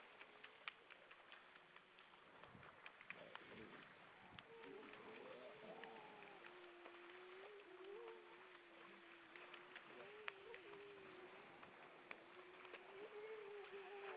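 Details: Grey seals gathered above the water off Vilsandi, Estonia, on 25 September 2012 at 19:33. A long, low, wavering moan holds for roughly ten seconds, gently undulating, with fainter overlapping wails beneath constant surf noise and occasional clicks.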